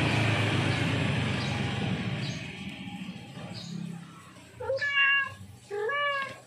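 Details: Male domestic cat in heat calling a female: several seconds of loud low rumbling noise that fades away, then two clear harmonic meows close together near the end.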